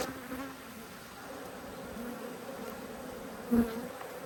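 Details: Honey bees from two hives annoyed at being inspected, filmed 5 March 2022: a steady low hum holding two even tones, with a brief louder burst near the end.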